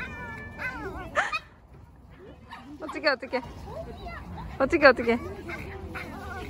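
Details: Boston Terrier whining excitedly at the playground on spotting its favourite big, soft, bouncy ball, eager for it to be kicked; high wavering whimpers and yelps in short bursts, with a person speaking over them.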